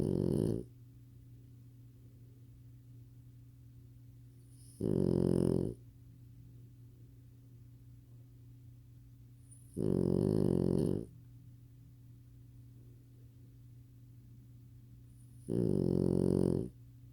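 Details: A male lilac French Bulldog puppy, lying asleep, snores in loud, rasping one-second bursts about every five seconds.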